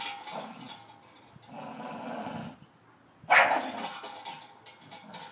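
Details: A Staffy tugging on his new spring pole, a Christmas present: long low rumbling growls, then a sharp loud bark-like outburst near the end, with rattling play noise throughout.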